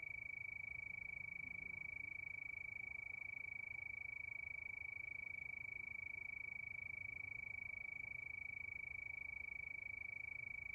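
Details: A chorus of crickets under the night moon keeps a constant high ringing chirp, pulsing a little under three times a second, very steady, with faint low background noise.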